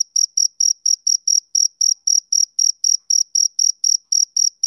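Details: A male cricket keeps up a rhythmic series of sharp, shrill chirps, evenly spaced at about four a second. No background noise is heard.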